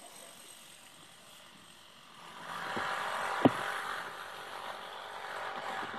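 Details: Dry rustling of leaves that swells midway, with one sharp tap and faint room hiss; no animal voice is heard.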